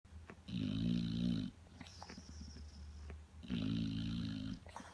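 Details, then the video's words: American Pit Bull Terrier snoring like a human: two long, rumbling snores with rattling low tones and a faint whistle above, each about a second long, separated by quiet breathing and a brief high squeak. "Pit bull snoring"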